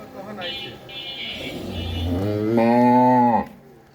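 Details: Red Friesian cow, two-toothed and nine months pregnant, offered for sale in Pabna district: a low moo rises, then holds as a steady, rich tone for about two seconds before stopping abruptly. A voice speaks faintly beforehand.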